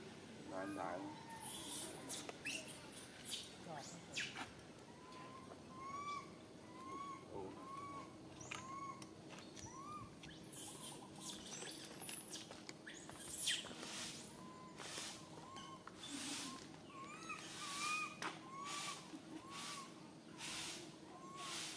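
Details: Tiny baby monkey stranded alone on a high tree, calling its mother in fear: a long run of short, arched, plaintive whistled cries at a steady pace, interrupted by loud rustling and crackling bursts.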